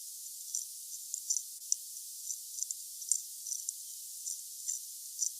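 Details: A cherrystone water beetle recorded underwater in a tank gives sharp, high-pitched ticks and short rasping bursts, spaced unevenly about every half second, with a faint steady hiss behind the clicks.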